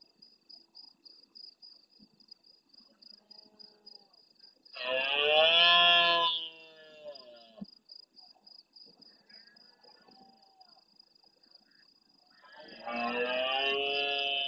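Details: Large red deer stag roaring intensely at nightfall close to a fixed camera in the Doñana National Park marshes at El Rocío, Huelva, Spain, answering distant stags: two loud, harmonic roars, about three and two seconds long, over steady insect trilling and faint far calls.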